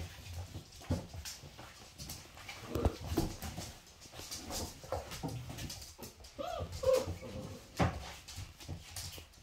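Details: Cream Labrador Kyla, a first-time mother, with her 5-week-old puppies as she disciplines them when they fight and teaches them to play nicely; brief tonal whimpers rise amid scuffling, thumps and rustling play noises, with a murmured voice.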